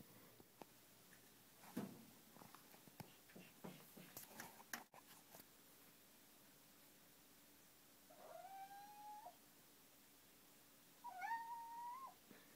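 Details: Ginger kitten Odin whines indoors at night after being refused the balcony. Handling rustles and thumps come first, then two drawn-out, slightly rising nasal whines about three seconds apart, with a person speaking softly nearby.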